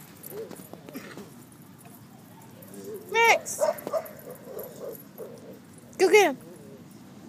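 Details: Dog playing at a dog park, giving two sharp, high, harmonic yelps about three seconds apart amid softer whining, while a person urges it to go play and other park noise runs underneath.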